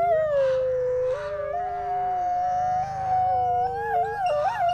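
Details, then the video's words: Two captive-born Canadian/Rocky Mountain gray wolves, brother and sister siblings at a wolf conservation centre in South Salem, New York, howl together in a duet, long smooth tones weaving at different pitches. "Brother and Sister Wolf Howl Duet"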